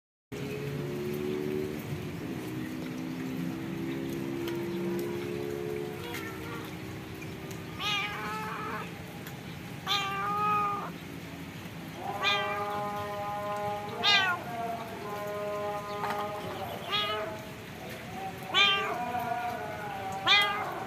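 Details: Stray cat suffering from severe scabies, met while being fed outdoors, gives a run of short harmonic meows roughly every one to two seconds in the second half, after a stretch of low steady tones, over constant background hiss.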